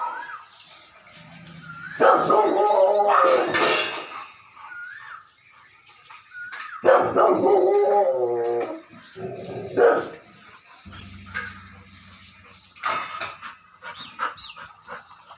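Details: Angry Rottweiler provoked by strange pig sounds gives bursts of rough barks and drawn, howl-like yowls, broken by pitched whimpers and short pauses, with low rumbling between outbursts.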